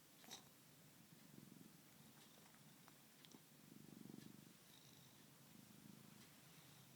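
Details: Sleeping house cat purring and snoring, a soft low rumble rising and falling with each breath, the strongest swell near the middle, with faint clicks and a small snort early on in a quiet room.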